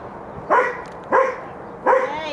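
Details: Happy, friendly rescue dogs at play: three short, sharp, harmonic barks, spaced roughly 0.7 seconds apart, each a quick bright burst over a faint steady background hiss.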